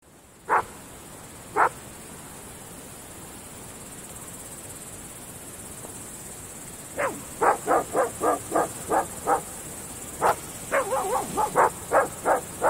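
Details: Groenendael (Belgian Shepherd) dogs barking at night in open fields: two lone barks, a pause, then a rapid run of sharp repeated barks with some overlapping, yelping calls from more than one dog.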